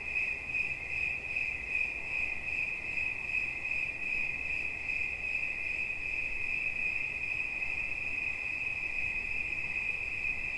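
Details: Relaxing cricket sound: an unbroken high chirping trill made of fast pulses, steady in pitch, over soft low background noise.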